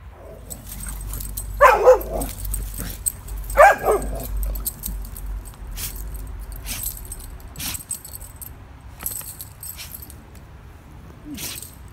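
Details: Golden Retriever in a fenced yard barking at a deer; two loud sharp barks early on, then quieter scattered noises and rustling.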